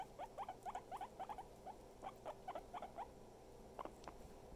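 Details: Pet guinea pig happily nibbling at its owner, giving quick bursts of short rising squeaks in rapid runs of two or three, pausing, then resuming, over a constant low hum.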